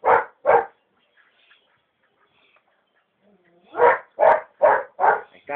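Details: A Belgian Malinois puppy, whose milk teeth have not yet changed, gives sharp, mid-pitched barks in quick bursts with pauses between them during a short bite-training session with a bite tug.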